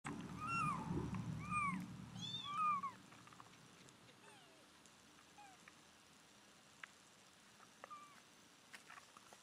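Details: A rescued mother cat calls her nine-day-old kittens back after they are weighed, recorded July 23, 2011. She gives three clear, arched meows in the first three seconds. Fainter, thin high mews follow, with a low rumble early on.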